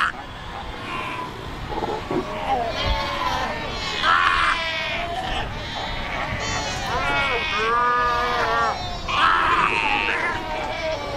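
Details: Fur seals at Cape Cross on the Skeleton Coast, a colony of over 100,000 animals: many overlapping harmonic bleating calls, some rising and falling, rolling together in a constant chorus with a steady background rush.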